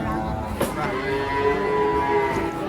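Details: Herd cattle arriving by truck, with one animal giving a low, sustained moo through the middle of the clip, a sharp bang near the start, and people talking throughout.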